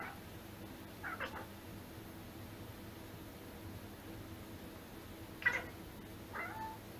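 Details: Domestic cat making strange sounds: three or four brief meow-like cries spaced a few seconds apart, one sharper and louder near the end, against a quiet room with a low steady hum.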